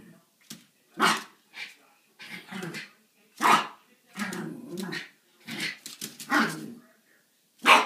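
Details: Two Schipperke dogs, Snowflake and Skipper, playing around at 4 am in the morning: short sharp barks and gruff play growls come in quick irregular bursts, with brief pauses between.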